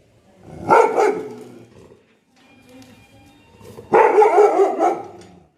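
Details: Angry dog letting out two loud, harsh bark bursts about three seconds apart, each a rough, growling volley, with near silence and faint steady tones in between.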